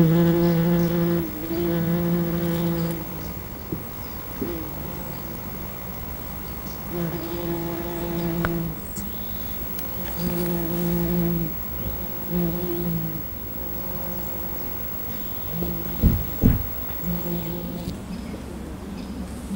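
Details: Wild honeybees foraging over a wildflower meadow, with nesting in an oak tree; steady low droning hum with harmonic bands, fading and returning in bursts as bees fly past, brief louder thumps near the end.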